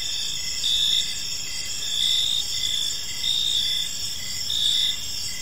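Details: Several crickets chirp together in a park at evening, bright high trills running steadily while a lower chirp pulses roughly every second, gentle background hum beneath.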